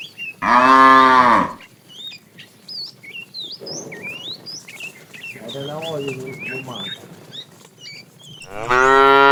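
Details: Afternoon herding of tame cows, a fat cow calling for the female: a strong, rich moo, a softer, wavering low moo midway, and another loud moo at the end, with small birds chirping in the gaps.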